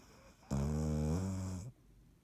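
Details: Dottie the cat snoring while asleep indoors, recorded March 17, 2019: a single drawn-out, low, buzzy snore with stacked harmonics, lasting just over a second, steady then easing at the end, in a quiet room.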